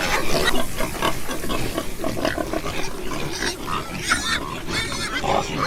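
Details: Domestic pigs grunting and squealing, a dense chorus of rough, overlapping snorts and higher squeals with no pause, several animals heard at once.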